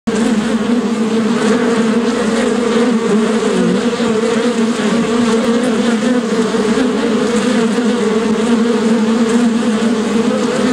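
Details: Bees, locally called shinni, making a dense continuous hum with steady low tones and a broad buzzy texture, unbroken throughout.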